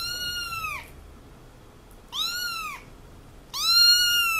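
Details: A three-week-old kitten gives three high, arching meows, each rising then falling, about a second and a half apart, while a person talks to it.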